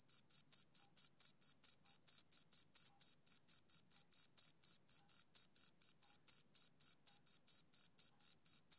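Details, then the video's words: Summer-evening male cricket giving clean, high, evenly spaced chirps about three or four per second, each a brief bright pulse, soothing and steady with no background noise. "Cricket Chirping"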